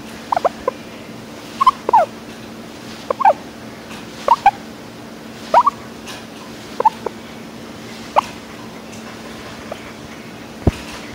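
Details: Coco, a pet guinea pig, making happy purring noises: short chirpy bursts repeated every second or two over a steady background hum.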